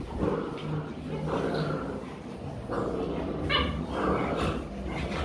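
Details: Rottweiler puppies play-fighting in Vietnam, practising biting on each other; short high yips and squeaks rise over low scuffling noise, with a person talking throughout.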